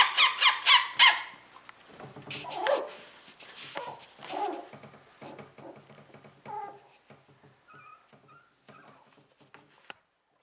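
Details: Border Collies from a sable merle litter, 2014, indoors in a small room; a quick burst of five sharp high yips opens, followed by softer whimpers, squeaks and short whines trailing off over ten seconds.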